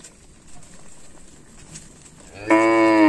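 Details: Tame cattle grazing in village fields by a lake: a quiet rural background gives way to a loud, rich, harmonic moo that begins late and is still going when the sound cuts off.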